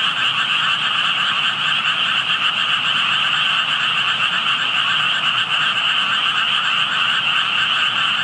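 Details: A dense chorus of frogs calls in a steady, unbroken wall of trilling croaks, heard close up at water where only tadpoles were visible and no frogs could be found.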